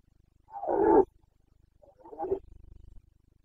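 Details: Carpathian red deer stag in Bucovina during the autumn rut, 2022, giving a hoarse roar followed by a weaker, broken grunt that trails into a low rumbling pulse.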